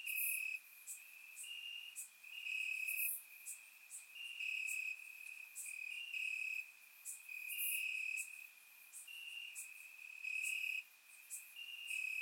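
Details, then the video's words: Crickets in grass at night, Bulgaria, warm summer: a constant shrill trill beneath repeated bright chirp pulses, with occasional very high sharp ticks; multiple callers overlap throughout. "Cricket Sounds - Crickets Chirping at Night"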